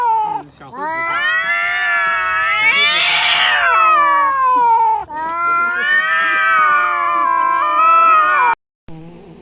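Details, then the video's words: Domestic cat giving a long, loud, drawn-out yowling meow lasting most of nine seconds, swelling in the middle and ending in a wavering, whining tail, with a brief second cry after a short break. "Funny Cats VOICES compilation : Meowing Barking Sneezing Snoring"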